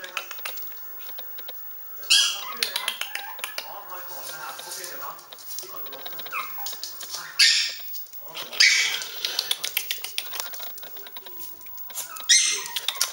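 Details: A black-and-tan Pomeranian, filmed with a Chihuahua, gives sharp, high-pitched yaps in scattered bursts, with human voices in the background.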